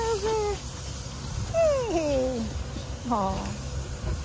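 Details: A six-month-old female Labrador Retriever puppy gives three high, sliding whines that fall in pitch, over a low background rumble.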